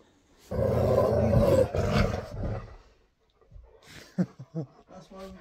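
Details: A Siberian Husky, arriving at his best friend's home at Christmas, gives a long, wavering howl calling to his friend, followed by a person speaking.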